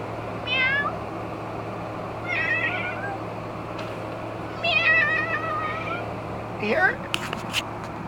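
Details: Several domestic cats meowing at birds being fed outdoors: repeated harmonic meows with wavering pitch, three main calls spaced about two seconds apart plus a short rising one near the end, over steady low background hum and clicks.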